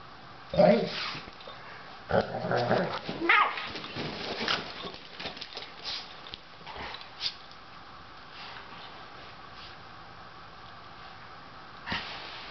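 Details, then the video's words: Doberman Loofah challenges Otto for his bed in a small room, giving loud rough growling bursts and a bark-like yelp early on, with human speech mixed in, then fading into quiet with one last short burst. "Fighting Doberman! Loofah tries to take over Otto's bed!"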